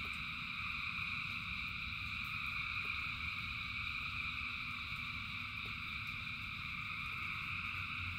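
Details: Massed frogs calling in the rain keep up a constant, shimmering trill at several stacked pitches without gaps, accompanied by a heavy low rumble and occasional faint clicks.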